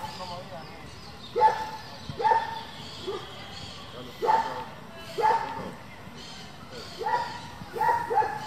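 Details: Barking German Shepherd at a working and breeding group, loud harsh barks in pairs and singles spaced about a second apart, with quieter barks between and faint background noise.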